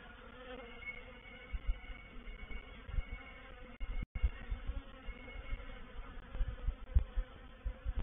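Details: Honey bee swarm settling into a bait hive (swarm trap) at Painted Peacock Manor on 04/07/21, heavy low buzzing with faint whining higher tones, uneven surges of louder passes and a brief dropout midway.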